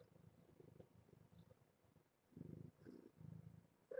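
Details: Kittens from a litter of seven born to a rescued stray mother cat at Purrfect Pals, heard during morning breakfast formula feeding: soft, low, rhythmic purring in pulsing bursts, strongest toward the end, over quiet room background.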